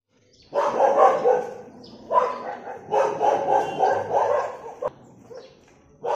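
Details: Street dogs fighting on a road: harsh overlapping barks and snarling growls in dense bursts, a long loud volley from about half a second to five seconds after a brief pause, then another bark starting at the end.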